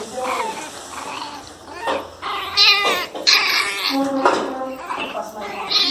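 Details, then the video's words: Miniature Pinscher puppies barking fiercely; high, harmonic yaps and whiny barks in irregular bursts, with sharper, louder barks in the middle and toward the end, set indoors. "Filhotes de cachorro pinscher Bravinhos latindo cão bravo"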